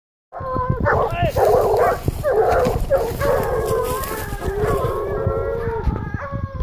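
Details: Griffon Nivernais hounds, a 17-month-old and a 9-month-old, holding a wild boar at bay: continuous overlapping baying and howling voices, loud and sustained, with harmonic wavering tones and a final short bark.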